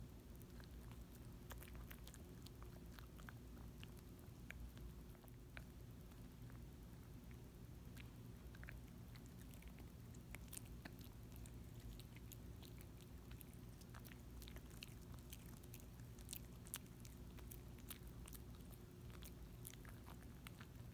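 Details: Small dog chewing and licking a Dentastix dental treat, quiet close recording: irregular crisp crunching clicks scattered throughout over a steady low room hum.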